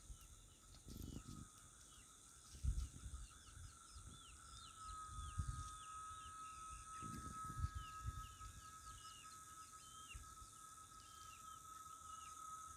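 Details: Cicadas in rural Itaporanga, Sertão da Paraíba, Brazil, on Thursday, 14 December, in the late afternoon before nightfall, hold a steady, high droning note while small birds chirp and wind gusts rumble.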